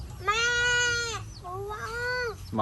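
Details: Gentle white calf with a red star-shaped patch on its head, playing with a child owner in the countryside; two drawn-out, steady, nasal calls about a second each, separated by a brief pause, with a voice calling nearby.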